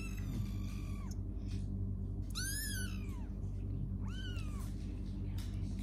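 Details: Playing kittens mewing in a room: three clear downward-sliding meows, one long, one sharp and bright, one shorter, spaced about a second apart, with a constant low rumble beneath.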